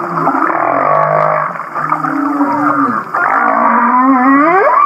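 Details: Laughing-style humpback whale song from Kihei, Maui: a long droning, nasal moan with a steady low tone, a brief dip, then a set of rising, curling whoops that sound almost like giggling.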